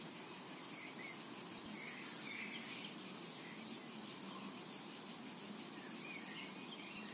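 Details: A steady, shimmering high buzz of cicadas fills a summer meadow without pause, while faint bird chirps come and go softly in the background.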